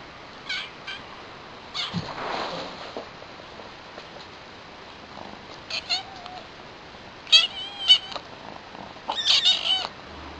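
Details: New kitten, one of a young pair named Chilli and Pepper: high, thin meows with stacked harmonics, a few isolated early, then a rapid cluster of short rising mews near the end, over a quiet room hiss.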